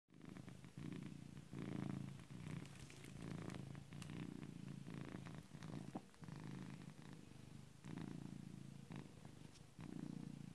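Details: Domestic cat purring loudly while asleep, likened to a tractor: a deep, rumbling low drone pulsing in bursts of one to two seconds, rising on each inhale and dipping on each exhale, with faint soft clicks above.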